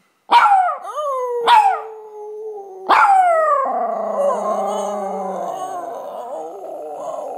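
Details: A Chihuahua mix gives sharp yelps that slide into high, wavering howls, howling along with its owner's lower human howl.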